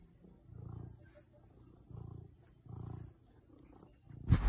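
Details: A cat in the Swiss Alps purrs low and steadily in three swelling bursts about a second apart, ending in a sudden loud knock.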